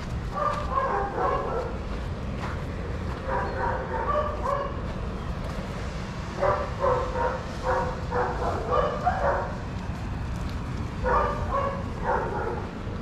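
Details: Adoptable shelter dogs playing together at a daycare, barking in several bursts of rapid, repeated yaps separated by short pauses, with steady low background rumble throughout.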